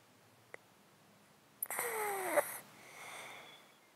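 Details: A sleeping house cat in a box, snotty-sounding from a disease it has had for 13 years, close-miked: quiet at first, then one loud rasping, wheezing breath that ends abruptly, followed by a softer hissing exhale.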